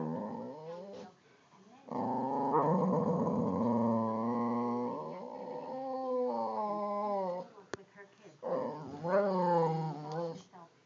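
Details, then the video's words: Two boxer dogs bicker over a wiffle ball, both trying to get at it; deep rumbling growls come in long stretches broken by short pauses, ending in rising, wavering grumbles. "boxer dogs bickering over a wiffle ball"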